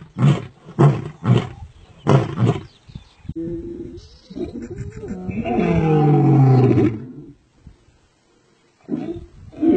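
A male lion roars with deep, grunting bursts that swell into a long, rumbling roar.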